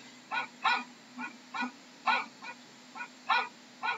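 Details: A dog gives about ten short, clipped barks in quick succession, some louder and some softer, unevenly spaced, over a faint low hum.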